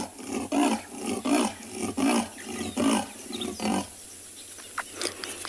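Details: Female leopard calling repeatedly at sunset while alert and listening, with birds possibly giving alarm calls in the distance: five deep, hoarse rasping grunts in a steady rhythm, about one every 0.75 seconds, then quiet bush sounds.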